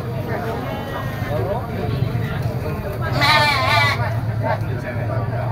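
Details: Goat kids at a crowded goat market give one strong, quavering bleat midway. Constant human babble and a low mechanical hum run underneath.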